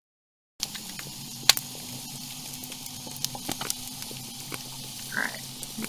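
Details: Snapping shrimp found throughout the Sarasota Bay, Florida environment pop and crackle constantly underwater, with louder crunches from a ray crunching down on a mollusk as it feeds.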